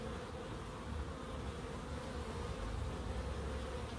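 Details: Low, rumbling buzz of bees in a small wildlife garden in Crookes, a deep pulsing drone with a fainter higher hum above, steady for the whole stretch.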